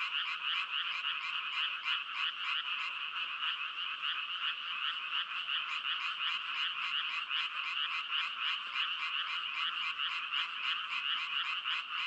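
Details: Frogs calling together in a dense, unbroken chorus of rapid, rasping croaks. Pulses overlap at roughly three per second, forming a steady, bright trill throughout, with no other sounds.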